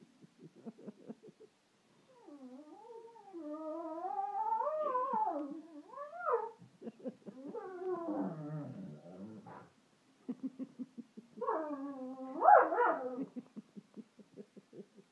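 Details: Freddy the pet dog, on sofas with Fleur in March 2014, singing: rising and falling wavering howls with rich harmonics, broken by gaps, a rough grumbling stretch, short rhythmic panting pulses between phrases.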